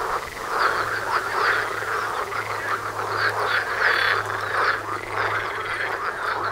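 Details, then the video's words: A frog chorus right outside a front door, out in nature: dense, overlapping rattling croaks from many frogs at once, pulsing steadily throughout, with a faint low hum underneath. "Froschkonzert vor der Haustüre"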